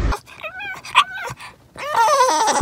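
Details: A pet dog being calmed down indoors gives high, wavering whines and yelps with rising and falling pitch, broken by short pauses before a longer drawn-out whining stretch at the end.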